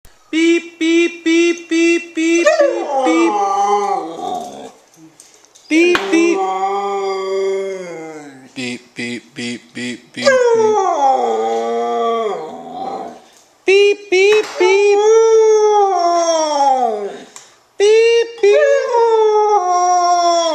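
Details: Young Siberian Husky puppy reacting to a repeated "beep" noise it hates: a quick run of short, even beeps, then long wavering howls that slide downward, broken by brief pauses and renewed howling.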